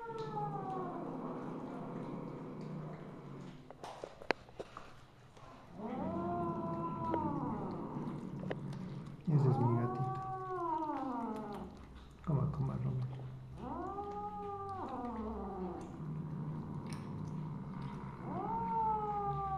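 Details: Misu the Siamese mother cat, recorded 2 February 2015 in the evening, calls four times in a row: arched, bending meows about two to three seconds apart, over a constant low hum with occasional knocks.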